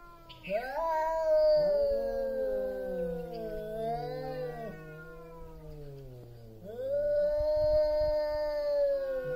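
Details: Loud caterwauling from two big male cats just before a territory fight: sustained, slowly bending yowls, one higher voice over a lower drawn-out growl, pausing briefly then swelling into another long howl.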